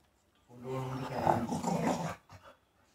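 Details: A female Rottweiler puppy grumbles and moans in a low, wavering, speech-like run of sounds, "talking" because she wants to go outside.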